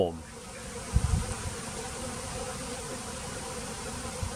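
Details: Japanese honeybee colony swarming outside its hive on a remote island in southern Japan, the bees soon gathering in a large cluster on a tree above the hive; a steady low, dense drone with a few soft knocks near the start.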